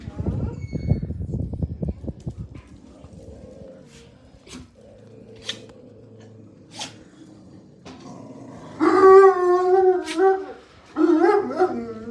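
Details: Jack Russell Terrier called Mars during a live stream while being called over: rustling and quiet shuffling at first, then two drawn-out, wavering, whining howls near the end.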